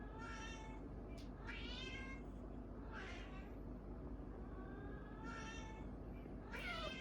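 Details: Orange cats in a staged-for-laughs face-off trade bent, wavering meows in quick succession, some rising then dropping, with brief gaps between. A steady low background hum persists throughout.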